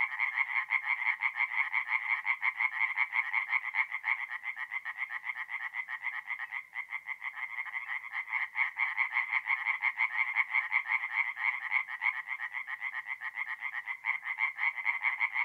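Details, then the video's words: Several tree frogs calling together at night by a woodland pond in north-east Italy in mid-April, their grating, pulsed croaks merging into a dense, unbroken chorus with brief dips. "relaxing forest pond by night with singing tree frogs"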